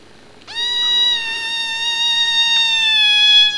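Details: Domestic cat with very loud lungs giving one long, sustained meow lasting about three seconds, rich and nasal, holding a steady pitch with a slight fall at the end, in a quiet room.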